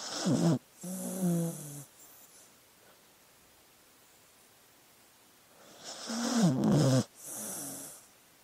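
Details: Sleeping dog: low, breathy whimpering groans in two bursts near the start, a long quiet stretch of soft breathing, then another wavering moan with snuffling noise, indoors.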